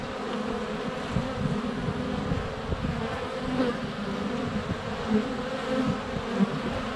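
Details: Honey bees swarming a hive entrance on a sunny February day, captured up close with a GoPro Hero 7 Black; dense, steady droning hum of many wings in flight with occasional louder passes and bumps as bees land near the camera.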